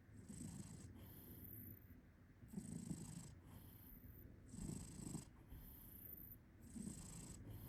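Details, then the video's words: Cat purring while snoring: a low, rumbling purr that swells in rhythmic bursts about every two seconds, each swell alternating with a soft breathy hiss, like slow sleeping breaths. "Purr Snoring"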